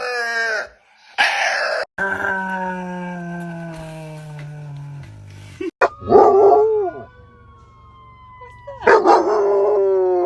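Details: A dog making strange noises: drawn-out, tonal howling and whining notes, some sliding downward, others held steady or stepping lower, with a brief rising-and-falling yelp near the middle and louder cries at the end.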